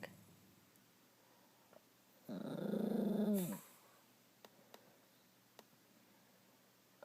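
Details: Indoor dog angry after another dog stole her chew toy, giving one brief low, rumbling growl with a rising-then-falling whine edge lasting just over a second, surrounded by quiet room tone and faint clicks.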